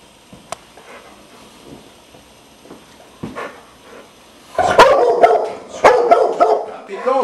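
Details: Coco, a scrappy pet Dogo Argentino, mostly quiet at first with a few faint knocks, then loud, harsh, rough-edged barks in close bursts over the last three seconds, with voices mixed in.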